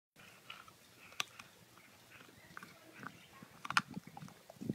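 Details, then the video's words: Two healthy, non food aggressive dogs chomp bones calmly together; irregular crunching and gnawing clicks, with a few sharper cracks near the middle and end, over a quiet background. "Chomp the Bone!"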